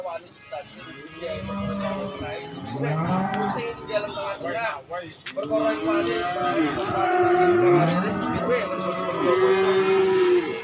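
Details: Calves and young bulls at a cattle market, several animals lowing in turn; low drawn-out moos and shorter bawls overlap throughout, with faint music and people talking behind.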